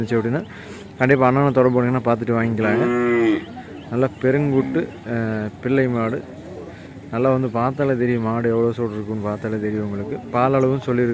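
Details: A Santhanapillai cow, a large dairy cow said to give five litres of milk a day, lowing in a run of deep, harmonic moos, some drawn out for about two seconds, separated by short pauses.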